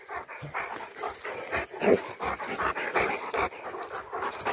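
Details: Panting while two Rottweilers descend a tower: rapid, breathy, rhythmic puffs, roughly three per second, running continuously without pause, with some background noise.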